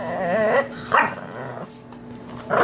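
An English Bulldog puppy gives wavering, whiny grumbles in short bursts, like it is trying to talk.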